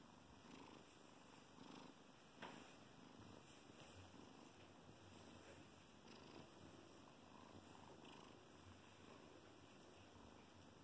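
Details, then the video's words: A 12-week-old female Bengal kitten purring while loving on her blanket indoors; a soft, steady, low rumbling purr runs throughout with faint rhythmic pulsing and no other clear sounds. "Bengal kitten loving on her blanky and purring"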